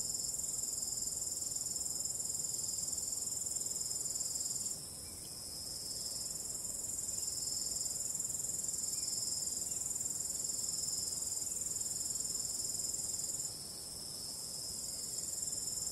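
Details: Night chorus of crickets under a starry sky with calm wind: continuous high, thin trilling with fast regular pulses, briefly dropping in loudness near the fifth second, then returning full; soft low background hiss.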